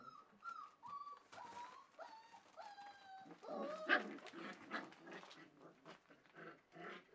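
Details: Welsh Springer Spaniel puppies, four weeks old, at a kennel, recorded 9 March 2011: a run of short whimpering whines sliding downward, several in quick succession, followed by shuffling and scrabbling noises.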